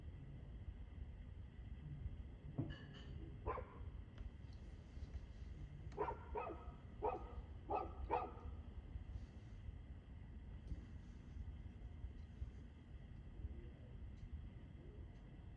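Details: Dog recorded barking at 6:02 pm on 2/6/2024, giving a pair of barks early on and then a quick burst of four or five barks, with a heavy low hum running beneath throughout.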